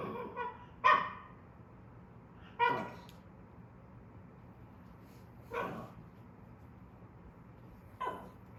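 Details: A dog at a dog-friendly pool villa in Gapyeong, South Korea, during a family's first summer holiday with a baby, barks in short sharp bursts, four or five separated by two to three seconds of quiet, with a faint low room hum.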